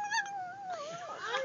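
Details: A dog making a drawn-out, whining, talking-like vocalisation that wavers up and down in pitch, with a person repeatedly saying love and I love you around it.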